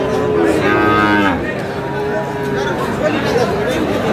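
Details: Sahiwal bull calf among cattle being sold to a Munshiganj farmer at a market, 24/3/26; one loud, descending moo lasting about a second, then fainter lowing under busy crowd talk and haggling voices.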